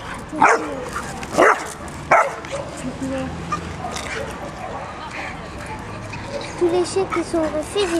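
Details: Hobby, a playful 10-month-old male black Labrador cross with a white bib at a shelter in département 62, gives three sharp barks within the first two seconds, then soft whimpering tones near the end, with people talking throughout.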